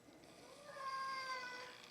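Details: Indoor house cat, angry at its owner for killing bugs outside, lets out one drawn-out, slightly rising meow with rich overtones; the owner talks to it just before and after.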